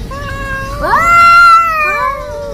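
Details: Angora cat and a village cat in a hostile encounter: a drawn-out harmonic yowl that climbs sharply, holds a strained high note, then dips and swells again, over low background rumble.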